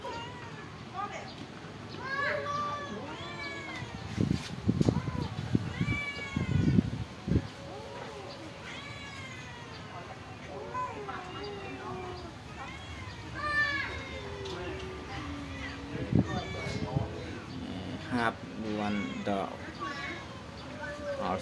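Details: A group of stray pagoda cats fed rice and fish meow constantly in overlapping short cries, mixed with human speech and clattering thumps.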